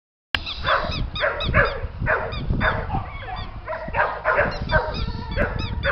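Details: Border Collie puppies at play, giving quick high yelps and squeaky cries in rapid bursts about every half second, with a person's voice calling to them and rustling and scuffling underneath.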